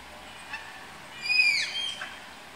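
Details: Captive Malayan tapirs at Tama Zoological Park, heard while being paired: after a faint click, a single shrill squeal rises sharply and falls away, followed by a softer breathy trailing note.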